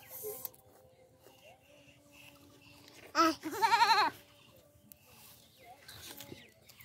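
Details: Baby goat kid playing with a human baby gives one loud, quavering bleat lasting about a second, its pitch wobbling rapidly, just after a brief sharp note; otherwise faint background murmur.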